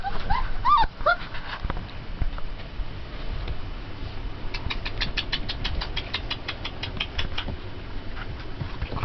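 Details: Twenty-day-old Turkmen Alabai puppies: a few short, high whimpers with bending pitch in the first second, then a rapid run of sharp clicks, over a steady low indoor rumble.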